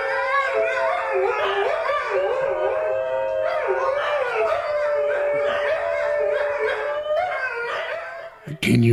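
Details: A group of about four or five New Guinea singing dogs inside a home howls together in sliding, overlapping, almost musical tones.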